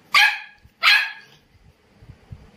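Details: Two loud, piercing barks from an Indian Spitz, about two-thirds of a second apart, then quiet with faint low thumps.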